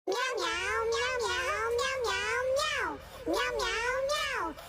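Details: Cat meowing indoors: long, drawn-out, wavering meows that rise and fall, about three in a row with a short break before the last, loud and close.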